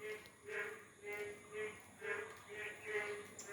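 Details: Frogs in Bangladesh croak in short, throaty pulses about twice a second in the morning, just after rain stopped following a night of heavy rain, with plants still wet. Finding: frog.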